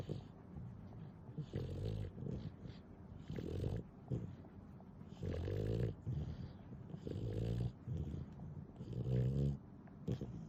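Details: Sped up ten times, the snoring of Nana, a doting pet dog, rumbles in deep, grating bursts about every one and a half to two seconds, some with a buzzy, vibrating edge.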